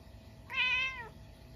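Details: Indoors on a snowy night, a Munchkin cat gives one loud, clear meow at midnight after a stink bug wanders into the house. The meow is brief, with an even pitch and a slight drop at the close, against a hushed background.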